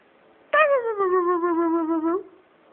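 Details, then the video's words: Tuscany, a 12-year-old pet Siberian Husky, howls indoors when asked to speak: one sustained, slightly falling tone lasting under two seconds, rich in harmonics, with a faint upturn at the end and a quiet room around it. "Tuscany Howl"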